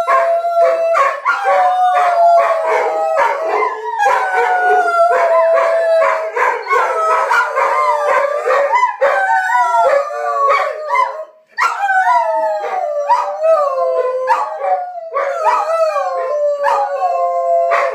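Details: Several Rhodesian Ridgebacks singing in chorus, something they do several times a day: dense overlapping howls and yips with quick pitch slides, broken by choppy bursts and a brief pause near the middle before resuming.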